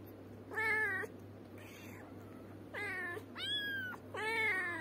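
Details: Loud insistent meowing from a cat or kitten, four strong harmonic cries each lasting under a second, some flat and drawn out, with a softer faint mew between and an indoor hum.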